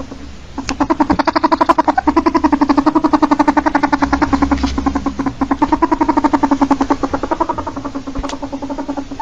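A ferret gives a rapid, steady train of soft, throaty clucks lasting several seconds.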